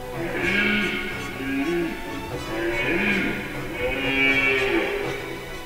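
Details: A red deer stag in mid-September at the start of the rut gives deep, moaning roars in repeated bouts. He is trailing a hind with a calf and vocally fighting neighbouring stags in mixed beech-fir-spruce forest around 1,000 m in the Carpathians.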